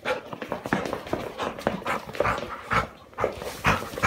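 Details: Labrador Retriever inside a house, panting rapidly in short huffing breaths, several each second, with occasional brief high whining notes riding over the breathing.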